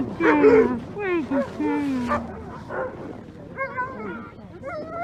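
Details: Alaskan Malamute sled dogs of the Mush Larose Sled Dog Club in Larose Forest, Ontario, Canada, in freezing winter at -30 °C, calling before a run: high wavering whines and short yips that slide up and down.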